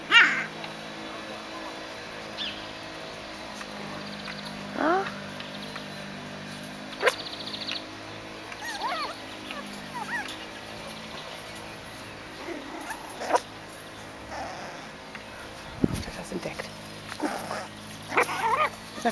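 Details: Seven-week-old Biewer Yorkshire Terrier puppies at a breeder's kennel, learning balance on a pond bridge and a swing; thin, high whimpers and yelps sweep up and down at irregular intervals, with a woman calling them and occasional clatter.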